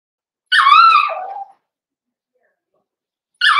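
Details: Cavalier King Charles Spaniel puppy in an indoor puppy pen during socialization with larger dogs, 13 December 2022. One loud, wavering, falling whine lasts about a second, and a second whine begins near the end.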